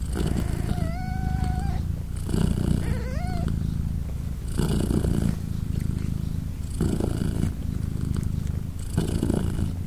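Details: Mother British Shorthair cat purring sweetly as her three-day-old kittens meow and nurse: low vibrating purr pulsing with her breathing, overlaid early on by two high, slightly rising kitten mews.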